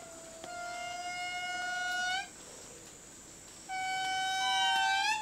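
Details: At dawn in Madagascar's tropical rainforest, as fog lifts, an indri family group gives long, steady, horn-like wails. The territorial call tells neighbouring groups a few kilometres away that this area of forest is theirs.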